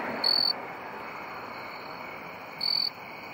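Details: A male jumping bush cricket, found in early September in crabapple trees in NW Ohio, gives short, loud, high-pitched trilled chirps a couple of seconds apart; it is one of the last to join the late-summer chorus.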